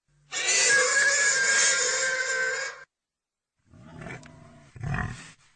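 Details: Pig letting out one long, piercing, harmonic squeal lasting over two seconds, followed after a pause by a few rough, low grunts and a snort.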